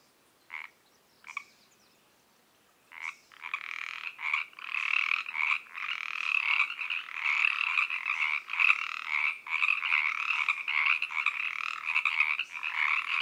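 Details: Pacific treefrogs croaking in an evening chorus at 7pm in Oak Park, California, captured on a Zoom H3VR: a few isolated croaks, then after a short pause a dense, overlapping run of raspy two-part calls that builds and continues steadily.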